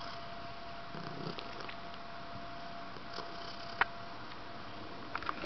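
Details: Pet cat purring indoors, a quiet steady low rumble with a few soft clicks and handling noises.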